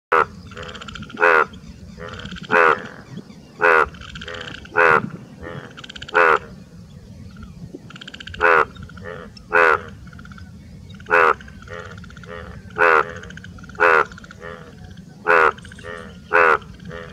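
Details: An Indian bullfrog (Hoplobatrachus tigerinus) in a village gives loud, harsh croaks roughly once a second in its breeding call.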